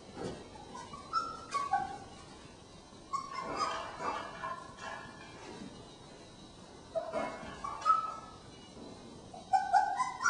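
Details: Short, high whimpers and squeaks come in scattered bursts from Jen and Singe's three-week-old puppies, whose pen was just expanded, mixed with rustling and soft knocking as the litter moves about.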